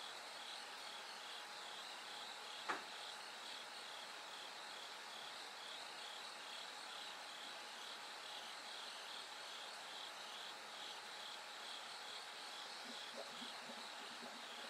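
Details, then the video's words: Bell cricket singing at night as it gradually grows brighter toward dawn: steady pulsed high ringing trills, layered with other insects in a continuous chorus, and one sharp knock early on. "bell cricket Cry of falling insects"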